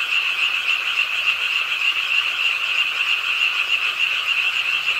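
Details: Short stretch of a rainy-night frog chorus at the pond of Ingye Art Park, Suwon; tightly packed, high, buzzy pulsing calls blend into one continuous ringing drone.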